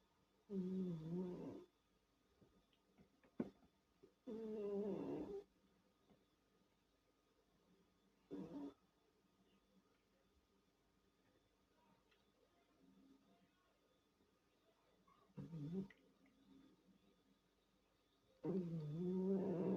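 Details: A domestic cat asleep and snoring indoors; short rasping snore bursts with a low hum, recurring at irregular intervals several seconds apart, near silence between them.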